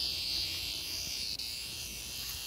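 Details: Screaming locust cicada, found and recorded up close: a steady, loud, high-pitched buzzing drone that holds unbroken for the whole stretch, with only a faint low rumble underneath.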